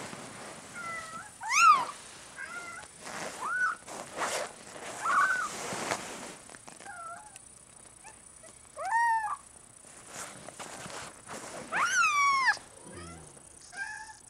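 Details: Benito, a large-spotted Bengal kitten, gives several short, rising-then-falling harmonic meows spread through the recording, the clearest near the start, middle and end, over a hissy background with faint thumps and rustles.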